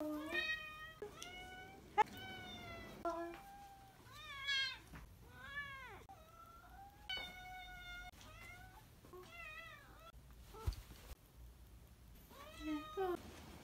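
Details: Domestic cat giving its daily welcome-home meowing at the door, recorded over four months: many clear, harmonic meows, some bent upward and wavering, others flat and steady, repeated with brief pauses, plus light household background noise.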